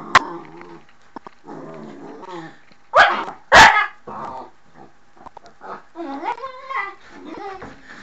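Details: Pet dog Mushu at the door, giving a low growly rumble, then two explosive barks close together, followed by higher wavering whines and softer yips toward the end.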